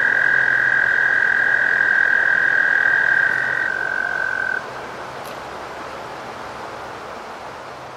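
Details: American toad. Two American toads trill together, each a sustained, even, high-pitched musical buzz lasting several seconds. One stops first and the slightly lower trill carries on a little longer before fading into quiet background hiss.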